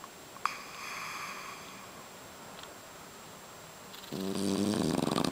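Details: French Bulldog Boss asleep in a kotatsu, rolling over as he snores loudly; soft breathing and a faint puff, then a strong, gravelly snore builds and vibrates to the end.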